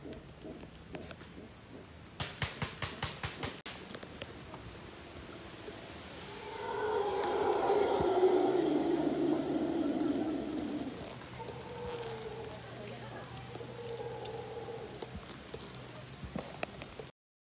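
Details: Howler monkeys, heard during a horseback safari, give a deep, swelling roar that rises to a peak and fades.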